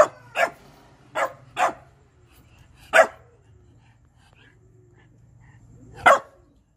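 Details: Shiba Inu barking while demanding food, a quick burst of three barks, then a single bark and a last one after a long pause, over a steady low hum.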